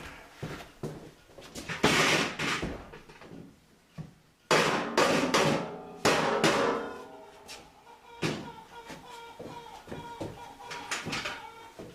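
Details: Indoor knocks, clanks and scraping of metal and wood, with bits of faint speech and no animal voice.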